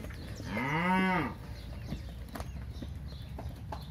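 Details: One crossbred heifer among 65 for sale near São José do Rio Preto, São Paulo, Brazil, gives a single short moo that rises then falls, followed by quiet background rustling and knocks.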